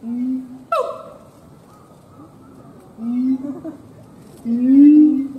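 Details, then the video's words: Siamang gibbon giving a few spaced hoots with long quiet gaps between them. One sharp falling bark follows the first hoot, then two more drawn-out hoots come later. "Siamang Gibbons monkay howling"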